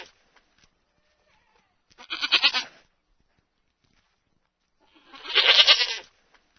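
Two wavering, nasal bleats from a sheep, a few seconds apart.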